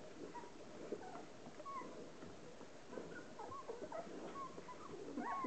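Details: Hovawart mother Relax cleans her 13 puppies, ten days old; thin high whistled squeaks and brief whines scattered over steady licking and rustling, growing louder toward the close.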